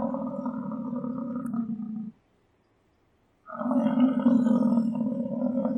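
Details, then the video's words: American bison bellowing in two long, low, rumbling roars of about two seconds each, separated by a brief silence. "American bison sound - buffalo sound effect"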